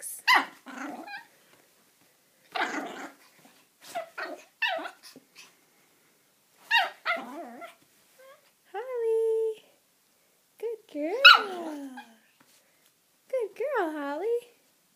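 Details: Female puppy indoors giving high, wavering whines and short yips with falling pitch in several separate bursts during the second half, after a woman's soft, coaxing talk fills the opening seconds.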